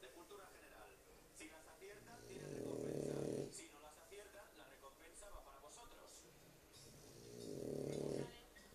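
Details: Pet dog Lúa snoring in her sleep, producing two broad, rumbling snores roughly five seconds apart, each lasting over a second, while people talk quietly in the room.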